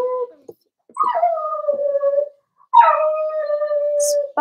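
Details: Whining four-week-old Cavalier King Charles Spaniel puppies in an indoor pen: two long whimpers, each opening with a sharp rising yelp and settling into an even, level tone, with a short silence between them.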